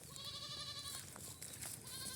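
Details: Goats on a farm, fed only fresh grass and kept for sale at the Eid after Ramadan, give a long quavering bleat over the first second, then a second bleat begins near the end, against steady background hiss.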